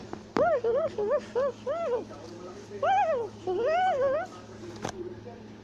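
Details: A tufted capuchin in South America calls while climbing a tree, shouting and chattering. A rapid run of about nine short arched harmonic yelps, the later ones longer and wavering, over low hum.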